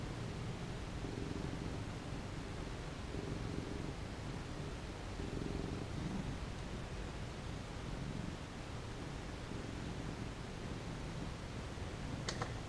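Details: Happy pet cat purring as it gets petted, a continuous low throaty rumble swelling and easing in roughly two-second cycles, with a brief faint click near the end.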